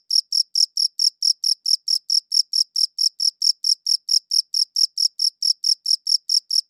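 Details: High-quality recording of a cricket chirping. Crisp, shrill pulses repeat rapidly and regularly, roughly four to five per second, continuing without pause and with no other sounds.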